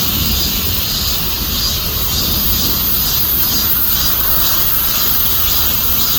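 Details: Cicadas buzzing loudly and steadily, a dense high hiss with faint rhythmic pulsing over a constant low rumble.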